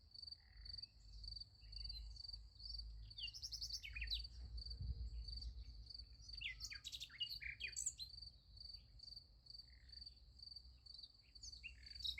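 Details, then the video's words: A night-time cricket chorus beside a sunflower field: rapid, regular high-pitched pulses continue unbroken while short clicky chirps from other callers drop in here and there over a gentle low background noise. "Nice Sunflower Field with Crickets Sound Effect"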